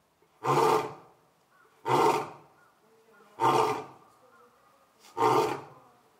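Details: Grunting roars from Orito, a young captive male lion at Asahiyama Zoo, recorded September 15, 2022; four short, forceful bursts about every one and a half seconds, each swelling and fading quickly, with little background noise.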